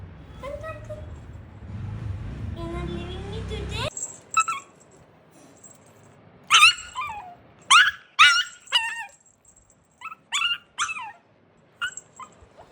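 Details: Shih Tzu dog, indoors with its family: a woman talks softly at first, then a series of short, sharp, high yips and whimpers comes in uneven bursts, about a dozen over several seconds, with quiet gaps between.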